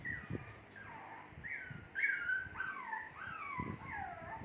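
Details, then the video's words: Shih Tzu puppies, two months old, give thin whining cries that slide downward, several overlapping in quick succession, with soft knocks and rustling beneath. "SHITZHU PUPPIES MAKING NOISE"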